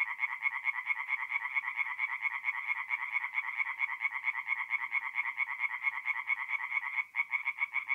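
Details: Night chorus of tree frogs at a forest pond in north-east Italy, mid-April: dense, fast, steady rasping pulses, about two per second, run without a break and overlap into a continuous rattling drone.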